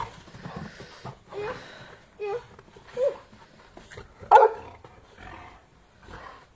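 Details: Boxer dogs playing in the snow give low growling grumbles and scattered barks, one louder bark standing out, amid quiet background sounds.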